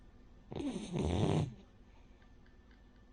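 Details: Sleeping Cavalier King Charles Spaniel named Rin, a flat-nosed breed that snores like a pug or bulldog, gives one loud, rattling snore lasting about a second, followed by quiet breathing indoors.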